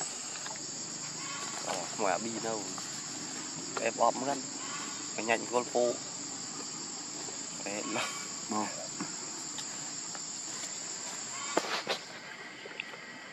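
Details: Baby monkey Lucie begs her mother for milk and is firmly refused: bursts of short, wavering, harmonic cries cluster at about two, four and five seconds, then fainter calls follow, all over a constant high insect drone.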